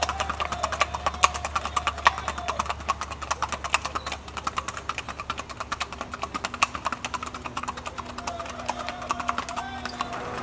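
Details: Rumor de Fiesta de Casanare, a Colombian Paso Fino horse by Cortezano de La Virina FC out of Tintoreta de Casanare: rapid, crisp hoof taps in a quick, fairly even gait, many sharp clicks each second over a steady low hum.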